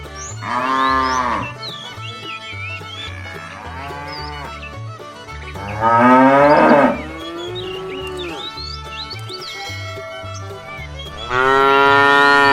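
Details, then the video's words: Herd of tame cows on a long trek to fresh pasture, lowing repeatedly: three loud, rich, drawn-out moos spaced several seconds apart, softer lowing between, birds twittering and a low droning background. "A herd of tame cows begins a long journey towards fresh pasture, Funny cow sounds"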